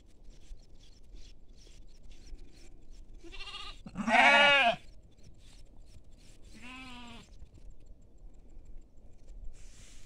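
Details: Sheep with lambs in farm fields: a loud, trembling bleat overlapping a softer one, then another wavering bleat a few seconds later, against faint clicking and quiet outdoor background.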